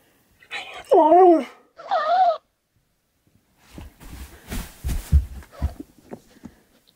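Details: Siberian Husky named Key, indoors, arguing with a talking hamster toy. A wavering, howl-like vocal comes near the first second, then the toy's higher, sped-up echo, followed by breathy snorting bursts.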